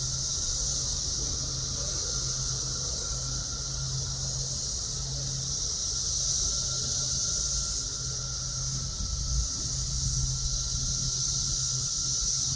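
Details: Cicadas singing in summer in the south suburbs of Chicago, a steady, unbroken high hissing drone that swells slightly and fades, over a constant low hum.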